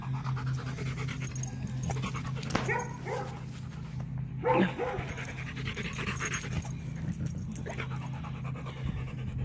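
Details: A Rottweiler pants heavily while resting at home after a walk, with rapid harsh rhythmic breaths over a steady low hum and occasional louder gasps.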